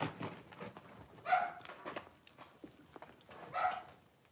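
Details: Litter of five blenheim Cavalier King Charles Spaniel puppies, six weeks old, indoors in a home puppy pen: two sharp puppy yaps about two seconds apart, with scuffling paws and soft taps between them.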